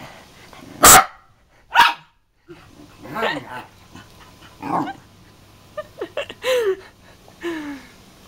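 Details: Scott the pet dog, annoyed at being imitated by his owner, lets out a series of loud, abrupt barks, roughly one a second at first. Later come a few whiny, curving vocal sounds mixed with an Italian-speaking voice.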